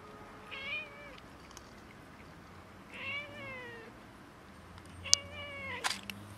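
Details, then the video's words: Cats and a kitten quarrelling over food: three drawn-out harmonic meows, each bending slightly downward, come about two seconds apart, with sharp clicks near the end. "Cats and kitten quarrelling over food"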